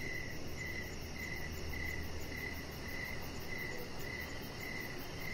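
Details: Crickets chirp in the evening while a chihuahua lies on a deck: evenly spaced bright pulses roughly twice per second, faint rapid ticking higher up, steady hissing background.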